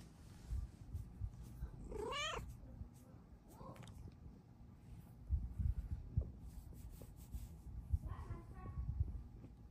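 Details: A Bengal cat looking for morning pets and attention gives a loud, wavering meow, then softer follow-up meows, drawing a second cat over to see what is going on.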